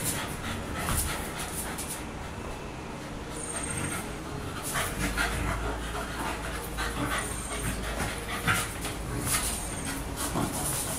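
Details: Pet dog tired out from play, panting steadily through a noisy stretch with broadband background rumble and occasional faint high tones.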